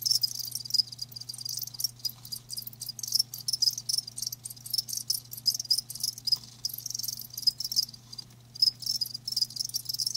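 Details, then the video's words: Crickets kept live, giving high shrill chirps in uneven bursts, some pulses standing out sharply above a busy background chorus; a steady low electrical hum runs underneath. "Live Crickets 60min "Natural Sound""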